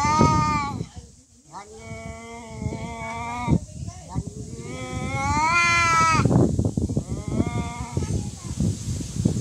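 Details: Fighting cats trade long, tense moaning howls, steady then sliding upward and wavering, several drawn-out wails in a row over a background of noise and chatter.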